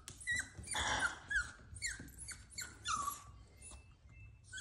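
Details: Scared Cavalier King Charles Spaniel puppy whining because it fears going down the stairs: short high cries that drop in pitch, one louder noisy yelp near the start, then evenly spaced whimpers indoors.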